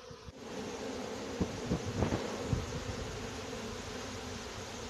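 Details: Small honey bee swarm being coaxed into a box while the queen is sought: steady mid-pitched buzzing hum under a hiss of background noise, with a few brief thumps and rustles.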